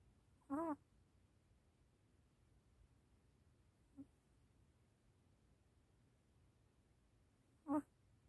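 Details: Sleeping baby puppy making sleep-talk sounds: one short, steady whine at the start, a faint tiny squeak midway, and another brief whine near the end, with long quiet gaps between them.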